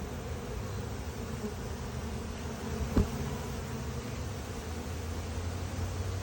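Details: A colony of honey bees that escaped its hive and settled in a small box, with many drones out, gives a steady, low droning hum of massed buzzing, broken once by a sharp tap.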